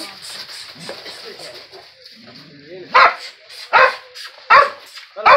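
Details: Barking dog squaring up to a skunk: faint muffled noise and murmuring at first, then four sharp, loud barks spaced under a second apart.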